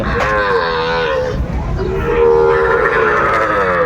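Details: Sahiwal cattle at a busy cattle market in Brahmanbaria, Bangladesh, on 31 May 2024: two drawn-out, fairly high-pitched moos, the second longer and slightly rising, over steady crowd chatter and market noise.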